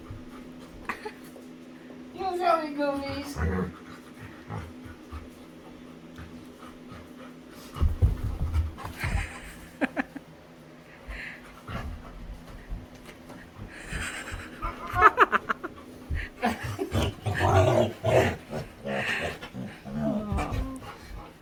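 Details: Female Labrador retriever at play with her owner makes funny sounds: a short wavering whine, then bursts of rapid breathy panting and grunts, with a person talking in between.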